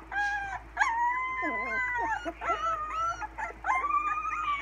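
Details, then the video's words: Sixteen-day-old English Springer Spaniel puppies, recorded June 26, 2016, learning to howl in thin, wavering, overlapping voices, with some whimpering yelps. "Addie's babies - English Springer Spaniels - We can talk!"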